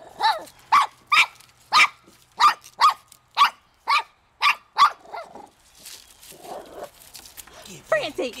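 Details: Shih Tzu dog trying hard to catch a fish in a pond: a run of sharp, high barks repeated roughly every half second, about nine in a row, then quieter rustling and a few softer yelps near the end.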